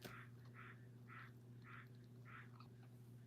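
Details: Squirrel in a tree near a garden, calling from outside: five short, harsh calls spaced about half a second apart, each a brief burst, over a steady low electrical hum.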